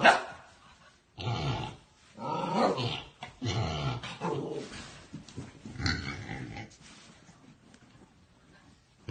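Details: Puppy giving rough, growly barks and drawn-out grumbling sounds in several longer bursts that fade toward the end.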